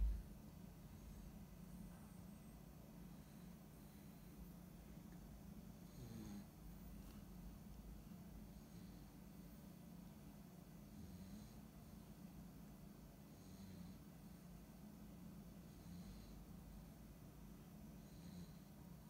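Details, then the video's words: Siberian Husky puppy asleep indoors after a tiring day, snoring softly: low rumbling breaths with faint airy hisses roughly every two seconds, steady and quiet throughout, with a slightly louder snort near the six-second mark. "Husky Puppy Snoring !!"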